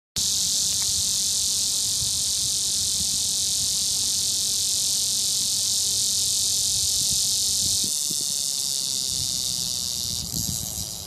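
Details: Male cicadas in Florida sing a mating call to attract females, late summer or early fall; a loud, continuous high-pitched buzzing drone that barely wavers.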